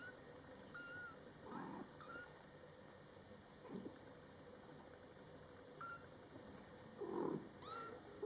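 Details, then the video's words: Scottish Fold kittens born July 22, 2012, in their first month, with their mother cat talking to them indoors: thin, high, short kitten mews, and a few low, soft murmured calls from the mother between them, over a steady room hiss. "Mom Cat Talking to her Cute Meowing Kittens"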